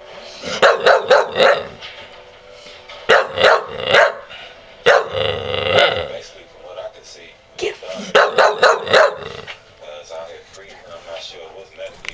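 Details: A 6-month-old, 40-pound Bull Terrier, trained to bark on the command "get em", barks in quick bursts of sharp, rough barks with short pauses between as the command is repeated.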